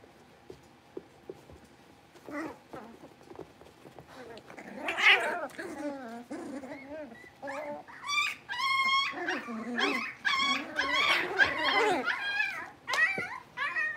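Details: Blenheim Cavalier King Charles Spaniel puppies from a litter of five born at New Year, newly moved to a bigger pen. Quiet at first, then a rising chorus of overlapping high, wavering whines and squeaky yips, dense toward the end.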